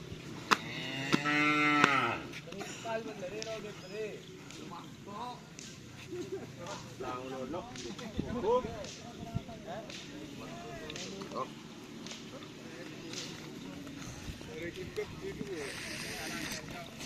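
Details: Cattle during karapan sapi bull race training at Asemanis: one short, strong moo near the start, then people chatting and background bustle for the rest.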